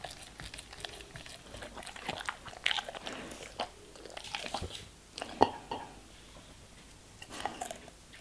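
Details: German Shepherd dog munching on fruit and vegetable pieces: steady soft chewing punctuated by occasional loud snapping crunches, one standout crack past the halfway point, otherwise close and quiet.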